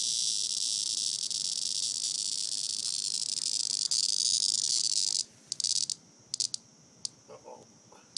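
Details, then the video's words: A cicada held as a toy by a dog named Grace, near the end of its life, gives a loud, steady high-pitched buzz for about five seconds. It then cuts off into quiet broken by short clicks and rattles. "Grace and the Cicada"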